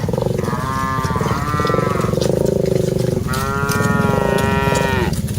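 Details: Herd of cattle being driven, two long bellowing moos, the first wavering around a second long, the second sustained nearly two seconds and dropping at the end, over a constant low engine-like drone.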